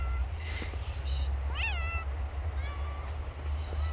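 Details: Stray cat living on the street, hungry once the snow has stopped, utters one sharp descending meow with a few fainter mews around it, over a strong low-pitched hum.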